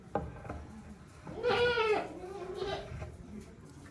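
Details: In a goat shed on a handmade farm, recorded 5 December 2023, a loud quavering bleat is followed by a softer, lower trailing call, with clicks and movement noise around them.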